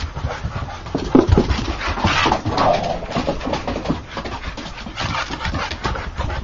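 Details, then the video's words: An American Bulldog in a play fight, heard grunting, snuffling and letting out short whiny growls, with a burst near the one-second mark and rough panting throughout in an indoor setting. "American Bulldog Play Fight"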